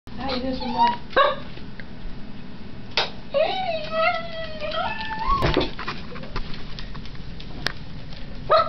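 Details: A one-year-old pet dog howls in response to the ice-cream truck song: drawn-out, wavering tonal howls that rise and fall, the longest near the middle, mixed with people talking and steady background noise.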